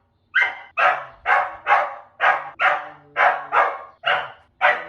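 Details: A dog barks in a steady rhythm of about two barks per second, nine harsh barks in a row, the first slightly higher and whinier; recorded as training audio to accustom dogs to environmental sounds.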